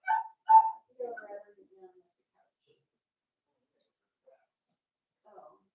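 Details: Four-week-old Cavalier King Charles Spaniel puppies in an indoor home puppy pen, meeting older dogs and trying puppy mash; two short tonal whining cries, then softer falling whimpers trailing off, with a faint cry near the end in a quiet room.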